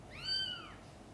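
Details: A single drawn-out, high, rising then falling mew from the mother cat Chan's birthing of five kittens, clear against a quiet indoor background.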